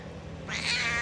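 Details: Stray cat that sits like a loaf and talks nonstop, giving a short rising meow in the second half of the clip, faint background hum.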